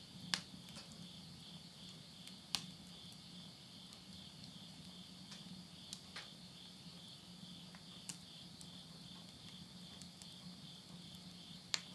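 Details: Insects calling at midnight in September 2020 in the countryside of Yurihama, Tottori, Japan, at summer's end: a steady, shimmering high trill runs throughout, broken by sharp crackles and pops of wood burning in a stove, with a low hum.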